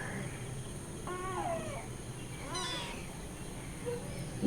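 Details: Hungry cat and kittens loudly demanding milk: two clear meows, the first long and drawn out with a falling tail, the second shorter and arching about a second later, over a low steady background hum.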